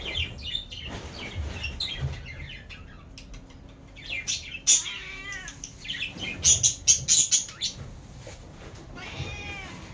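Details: Cat; meow; begging for food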